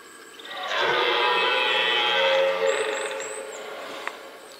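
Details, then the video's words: Red deer in the rut, recorded amid the rutting ground: one sustained, deep, rasping roar of about two seconds, strongly harmonic and steady before trailing off, with thin high chirps in the background. "Mitten im Brunftkessel - Ein gewaltiges Röhren - in the middle of the rutcauldron Red Deer"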